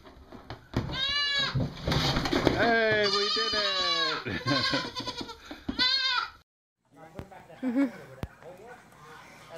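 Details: Goat bleating loudly and repeatedly for about six seconds, trembling, wavering cries overlapping one another, then a brief silence followed by quieter murmuring and a few clicks.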